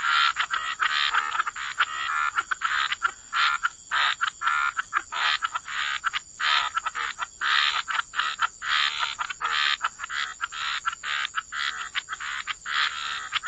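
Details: Waterside frog chorus from wetlands, many overlapping croaks in quick rasping pulses that keep going without pause, several frogs calling at once against a faint continuous high hiss.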